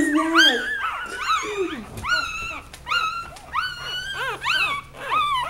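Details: Puppies with their mother, play-wrestling: a steady run of shrill, arched puppy yelps and whimpers, each rising and dropping in pitch, coming about twice a second, with brief human chatter in the background.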